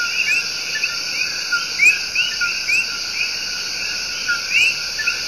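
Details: Tiny but loud coquis in the El Yunque Rainforest of Puerto Rico give their love song. Overlapping two-part calls, a brief lower note then an upward-sliding chirp, sound every second or so against a constant shrill insect drone.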